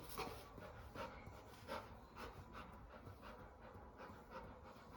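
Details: Labrador Retriever indoors panting in soft, breathy bursts that repeat roughly every three quarters of a second, steady and quiet throughout, with no other clear sounds.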